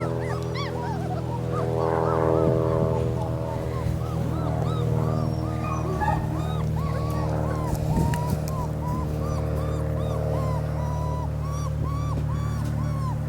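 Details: Three-week-old German Shepherd puppies whimpering in a steady stream of short, arched, squeaky cries, many overlapping, over a constant low droning hum.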